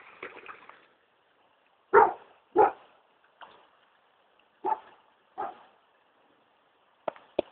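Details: Vizsla named Oszkar barking at spawning salmon he has just discovered in a local river in Pickering, Ontario; sharp single barks and yips in irregular bursts, a quick pair near the end, quiet between.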